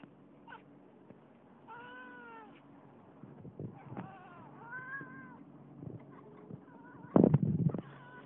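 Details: Moses, a pet female cat making odd hunting noises indoors: a string of short harmonic chirps and drawn-out wavering meows with rising and falling pitch, ending in a loud rough burst, over a low steady hum.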